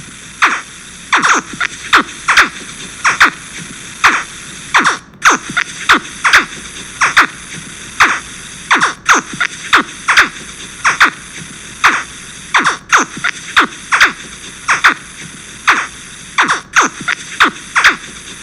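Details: Young crocodiles chirping: a rapid series of short, downward-sweeping zaps, roughly a few every second and irregularly spaced, over a constant hissing background.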